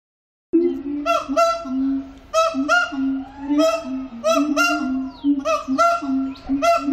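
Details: Captive siamang singing at Antwerp Zoo: loud, nasal, honking notes repeated in quick bursts over a steady lower droning tone, with rich ringing overtones and short pauses between phrases.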